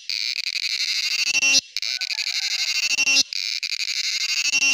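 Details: Shrill pulsing buzz of a male cicada, three loud rasping bursts separated by brief silent breaks.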